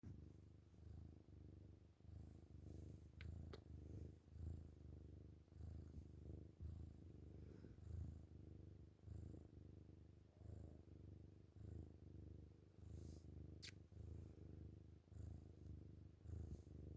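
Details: A kitten cuddling in the morning purrs loudly and steadily, a deep rumbling vibration pulsing with each breath.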